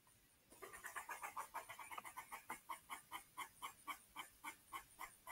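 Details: Outdoors, a squirrel yells frantically in a fast, steady run of harsh, nasal barks, about four each second. Birds chirp nearby while a cat prowls on the hunt, over a thin high hiss in the background.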